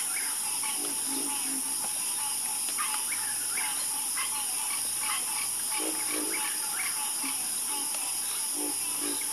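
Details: Night chorus of frogs: short, repeated mid-pitched croaks and clicks from several callers overlapping, with lower deep notes now and then, over a constant high shrill insect-like hiss.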